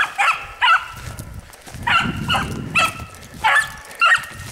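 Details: Female hunting dog named Gypsy, running a hare in rural country, barking in short, sharp, doubled bursts roughly every second, over rustling and footsteps.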